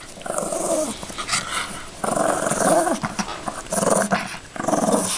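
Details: Yorkshire Terrier playing with a toy bunny, giving a series of throaty, rumbling growls in four bursts, each about half a second to a second and a half long, with rough harmonic tones and short pauses between.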